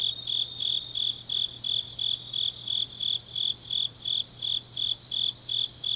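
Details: High-pitched chirps from autumn grass insects at night in Changnyeong, Korea, evenly spaced at roughly three per second, with softer overlapping trills from other insects and a faint steady low hum.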